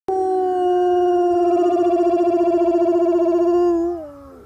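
An Alaskan Malamute gives a long, steady, warbling howl that slides downward at the end.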